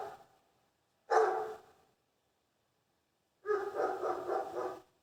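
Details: Barking dogs: a short sharp volley of barks, a pause of nearly two seconds, then a longer rough, rolling stretch of overlapping barks.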